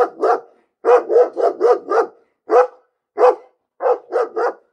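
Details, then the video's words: Barking dog, likely indoors, giving rapid bursts of two to four sharp barks separated by short silences, with a couple of isolated single barks between the bursts; no other sounds. "Bellender Hund - Hunde bellen"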